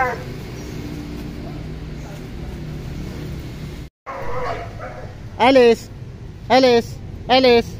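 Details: Pet dogs, a German Shepherd and a Boxer kept together: a steady low background rumble fills the first half, then three loud, harmonic barks sound about one second apart near the end.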